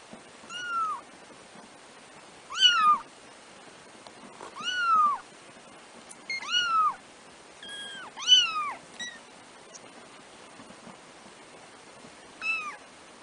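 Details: Four black 3-week-old kittens, first-born litter of a pet cat named Trisya, give a series of high, thin mewing calls, each bending downward, seven or so cries spaced irregularly across the recording, with quiet hiss between them.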